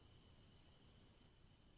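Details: Constant high, shimmering chirps from crickets in several layered tones. A faint, very high tone briefly slides downward midway, with soft rumbling noise underneath.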